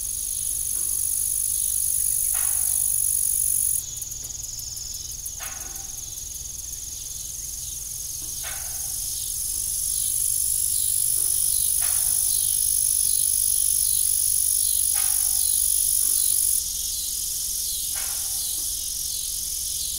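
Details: Crickets heard in the evening around an old rusty farm windmill, a constant piercing high trill, a faint rapid ticking layer for a while, and brief lower creaks every few seconds.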